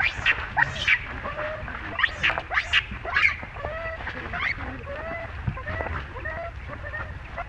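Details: Baby monkey Rainbow crying during Libby's unchanged behaviour toward it: sharp, harmonic squeals clustered early, then quieter, lower wavering whimpers trailing off against faint background noise.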